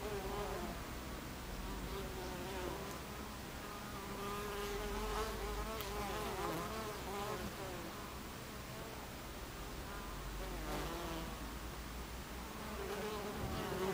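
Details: Many honey bees buzzing at the hive entrance on 26 July 2013, mid-afternoon; continuous droning hum with individual bees' wingbeats sweeping up and down as they fly close past, swelling louder around the middle.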